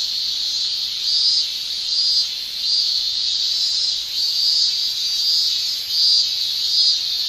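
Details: Summer chorus of male Japanese cicadas using the tymbal: a loud, shrill buzzing drone pulsing in regular swells about every three-quarters of a second over a steady high hiss.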